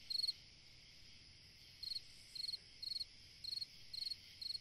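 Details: A lone cricket on a summer night gives short, bright trilled chirps, one, then a pause of over a second, then six more at half-second spacing, with a continuous insect buzz behind.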